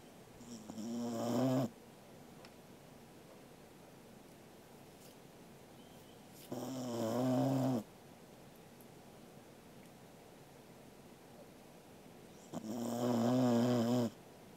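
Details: Angela, a Corgi, snores in her sleep on 13 August 2021: three rough, droning snores spaced about five to six seconds apart, each about a second long, with steady low hiss in between.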